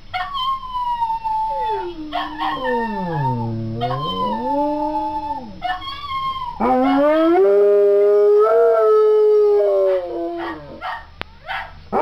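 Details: Jerry, a three-legged dog, howling along to a recording of another three-legged dog, Frankie, singing; long wavering howls that dip low and rise again, then a sustained steady tone, with short yelping breaks between.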